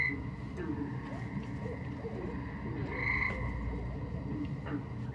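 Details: Tree frogs, small lichen-coloured frogs about an inch and a half long, call at a frog pond on a 1969 record: a thin, steady trill that swells mid-clip over heavy low rumble and hiss.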